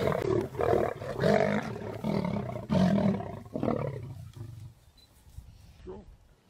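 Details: Lions of the Avoca Pride and the Northern Black Dam males at Thornybush: a deep roaring sequence of heavy grunting pulses about every half second, gradually weakening and fading out into quiet bush with a faint final grunt.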